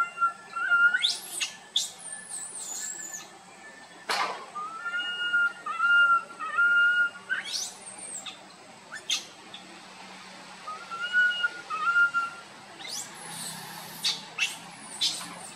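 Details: A tiny monkey cries loudly while roaming with its group. Level whistled wails come in short runs, broken by frequent sharp, noisy clicks and rustles, with brief sweeping squeaks near the end.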